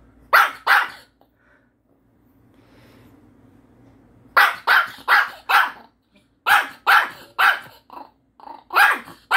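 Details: Pet dog named Happy barking indoors at its owner for not sharing a Korean melon: sharp, high barks in quick pairs and bursts, separated by a quiet pause with faint rustling.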